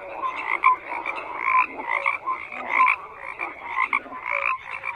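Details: Dense chorus of many frogs croaking together, overlapping pulsed croaks and short tonal notes stacked in bands, constant with no pauses and no other sounds.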